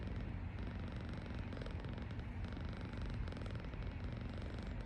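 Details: A relaxing Persian cat (Felis catus) snores with a low, steady, rumbling drone that barely changes over several seconds.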